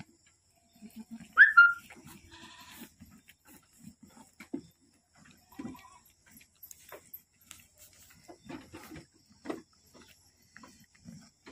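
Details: Boer goat on a farm in Aceh, giving birth to twins; a single brief, high bleat rises and falls near the start, then quiet rustling and soft thuds fill the rest.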